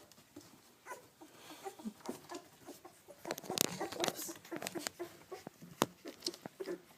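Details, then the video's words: Two-week-old yellow British Labrador Retriever puppies from a litter of seven, whelped May 30, 2013, near their dam Bailey, give soft irregular squeaks and little grunts amid busy clicking, snuffling and shuffling noises, with short louder bursts in the middle. "Bailey 2-week-old British Labrador Puppies"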